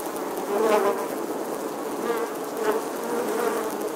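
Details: Honey bees busy at their nest in the stonework of an eleventh-century church in England, filmed in August; a steady buzzing drone with a couple of close fly-bys rising in loudness.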